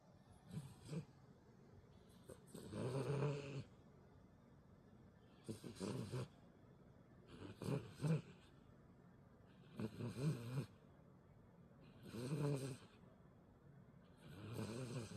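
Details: Elderly dog asleep and snoring loudly, deep rumbling breaths in bursts roughly every two to three seconds, each a rough low snore with faint snorting, quiet between breaths.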